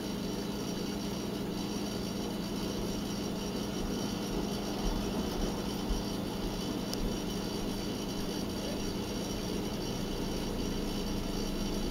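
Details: Steady, even broadband hum like a running engine or appliance fills the whole recording, with no animal call.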